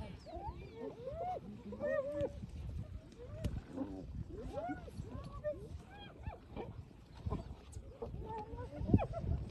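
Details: iPhone recording of hyenas moving onto a lions' kill once the lions are full: repeated short arched squeals and whining giggles, overlapping, over a steady low rumble and murmured voices.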